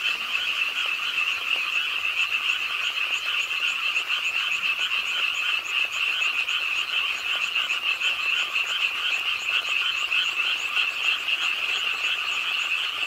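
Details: Frogs calling at a city park pond in Suwon's Ingye Art Park as rain falls late at night, their massed rapid croaks merging into a constant high, rattling chorus.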